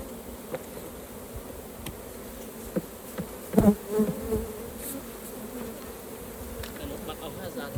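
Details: Honey bees humming around their hive during a beginners' raw honey harvest, a continuous droning buzz briefly overlaid by a short burst of human speech near the middle.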